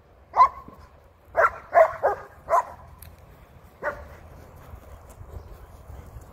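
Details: Old English Sheepdog named Bear, barking while herding Woolter, a blue sheep: one sharp bark, then three quick barks and a fourth in a burst, and a last bark after a pause over a quiet low background.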